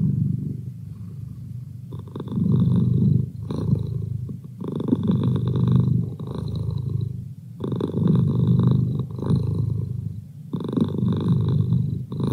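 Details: Pet tomcat purring continuously, a deep vibrating rumble that strengthens and fades with each breath, loud phases lasting two to three seconds and separated by brief quieter dips.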